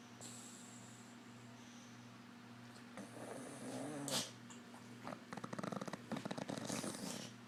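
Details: A 5-year-old female English Bulldog, asleep while her owner gets ready for work, snores with a low, steady rumble, broken by a snort and quick rattling breaths.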